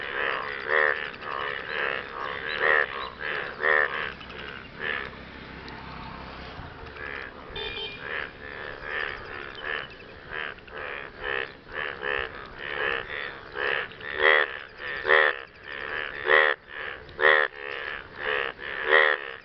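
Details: Several frogs calling for partners after rain, overlapping rasping croaks in quick irregular series, growing denser and louder toward the end, with a brief soft rustle midway.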